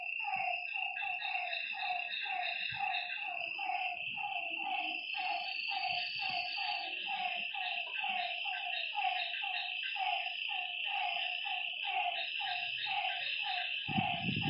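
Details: Frogs calling at night beside a lake: a dense, steady run of short, nasal, slightly falling notes, about one a second from several callers, over a constant high, shrill insect trill.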